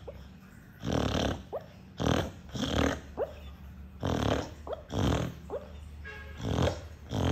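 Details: Sleeping dog's drill-loud snoring: a steady run of short, gritty snore bursts about every second, each breath often followed by a thin rising whistled squeak through the nose.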